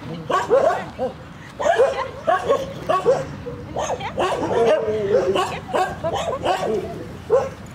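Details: Young dog yapping in quick, high, bouncing barks that sometimes slide into whiny, drawn-out yips, in irregular clusters over several seconds.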